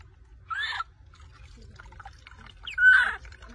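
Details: Angry baby monkey named Rose crying loudly at bath time when her mother takes away her beloved milk bottle; two strained, wavering squeals about two seconds apart, the second louder and longer, over faint background hum.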